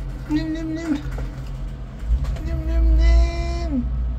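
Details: Kitten from a yellow kitten family, very angry with the person at first but friendly in the end, gives two drawn-out steady meows, the second longer and dropping at its close, over a low engine hum.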